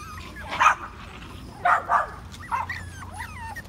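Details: Patterdale Terrier puppies, five weeks old, exploring an earth tunnel: a few sharp, bright yips spaced about a second apart, followed by short wavering whines over a low background rumble.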